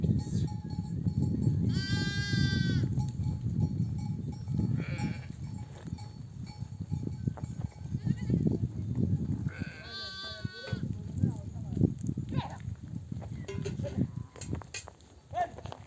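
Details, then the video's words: Nomadic sheep flock returning from pasture, mothers bleating so their babies come to nurse; two strong tremulous bleats about eight seconds apart plus fainter distant ones, with constant hoof shuffling and low herd rumble throughout. "The sound of mother sheep returning from the pasture to breastfeed her babies"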